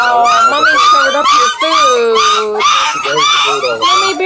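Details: Redbone Coonhound puppies, hungry, squeal nonstop at a breeder's kennel in Ontario, Canada: a steady wall of high, drawn-out whines bending up and down, with a lower voice-like tone underneath.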